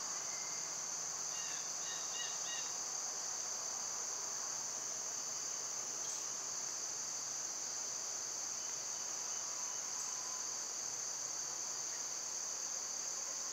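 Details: Summer cicadas in a loud insect chorus: a steady, shrill high-pitched buzz that never breaks, with a few faint bird chirps near the start.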